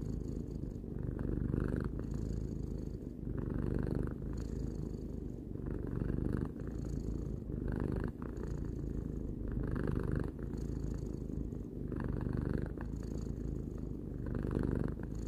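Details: Sustained rhythmic purr of Tarou, a three-year-old pet cat, a low thrumming rumble that swells with each breath about every two seconds, steady and unbroken across the whole stretch.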